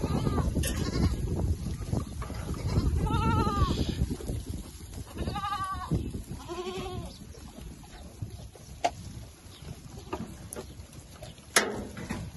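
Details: Bishi goats from a herd of 96 with 30 kids, mostly young with some pregnant does, near Al-Muzaylif north of Al-Qunfudhah, Saudi Arabia. Three clear, quavering bleats arch up and down in mid-pitch over a low rumbling background with scattered clicks.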